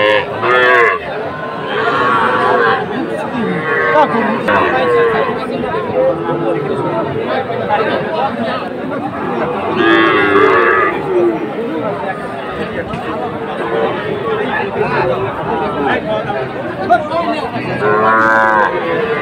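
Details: Sahiwal bull calves at the Aftabganj cattle market, bought by a farmer from Rajbari on 18 October; several drawn-out moos with harmonic bands rise over constant crowd chatter and talking.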